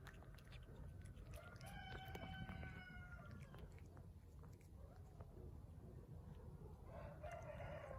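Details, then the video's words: Hungry street cat making funny noises while eating: drawn-out, harmonic, wavering mewing calls of about a second each, over steady low rumbling background noise and frequent clicking chewing sounds. "Hungry street cat eating and making funny noises at the same time"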